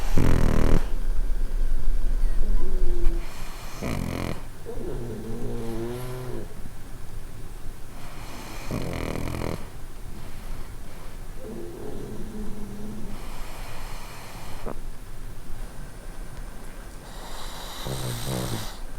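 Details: Pugs asleep at night on a warm winter bed pad, sharing it with a Chin–Shih Tzu mix; two pugs snore. Deep, rumbling snores repeat steadily, with occasional louder, rougher breaths and brief higher wheezy tones.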